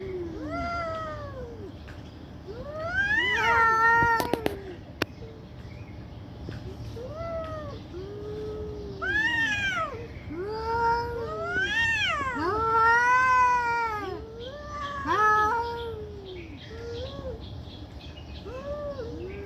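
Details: Angry domestic cats fighting loudly: drawn-out arched yowls and wails rising and falling, overlapping from more than one cat, with sharp louder cries and a brief clatter near the middle.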